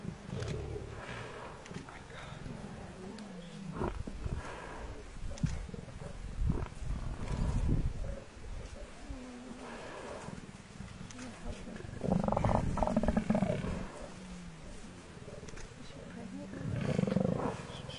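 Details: Low, throaty snarling from a lion pride that has a buffalo cow on the ground while the buffalo herd charges to save her, filmed with Shindzela tented camp: continuous rumbling growls with louder harsh surges near twelve and seventeen seconds.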